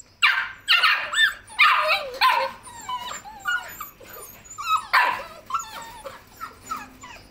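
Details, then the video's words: Several Labrador Retriever puppies yipping and whimpering almost continuously, overlapping high whiny cries with quick rising and falling squeals, a busy chorus of pups through the whole stretch. "Labrador puppies"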